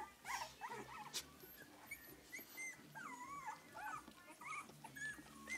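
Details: A litter of English Cocker Spaniel puppies at three weeks old: a busy run of wavering, squeaky whimpers, some looping and bending in pitch, with overlapping voices and light scuffling noises.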